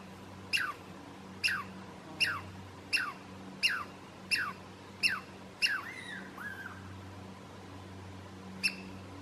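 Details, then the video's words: Douglas squirrel (Tamiasciurus douglasii) alarm call on the trail to Stump Lake, Alice Lake Provincial Park: sharp descending chirps repeated about every 0.7 seconds, eight in a row, a softer trailing note, then one more after a pause; steady low hum behind. "Douglas Squirrel Alarm Call"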